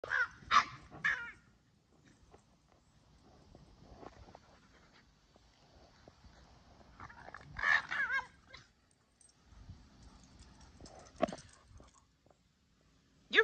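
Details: Sully, a Boston Terrier playing with his Keeshond brother Kumo, makes silly sounds: short bursts of yelping, grumbling noises in quick clusters at the start and again near eight and thirteen seconds, with quiet stretches between.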